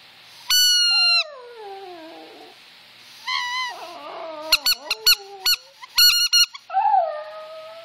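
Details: Pet Yorkshire Terrier howling in response to squeakers and whistles: a sharp squeaker note then a long falling howl, more whistle bursts followed by wavering howls, and a final sustained howl among rapid squeaker beeps.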